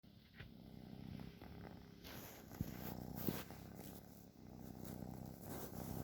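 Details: Sleeping cat snoring: a steady low rumble made of fast fine pulses that swells and eases with each breath, with a few soft clicks and a quiet room hiss.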